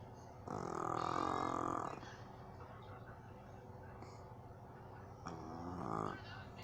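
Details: A jug dog sleeping on its owner's lap snores, each rasping, buzzy breath followed by a quiet pause.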